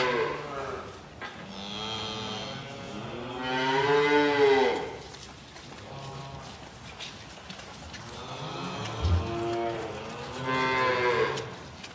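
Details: Calves in calf sheds during bucket feeding bawl in drawn-out, harmonic moos, several overlapping calls rising and falling.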